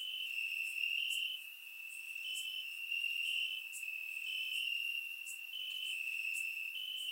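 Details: Crickets calling from grass after dark on a warm Bulgarian summer night, a constant piercing trill with small pitch steps and gentle swells, accompanied by regular faint high clicks.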